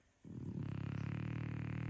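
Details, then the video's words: French Bulldog asleep, snoring: a single sustained, rasping low snore that starts abruptly and holds steady with a fast pulsing flutter for well over a second. "French Bulldog snoring after keeping me awake all night!!!!"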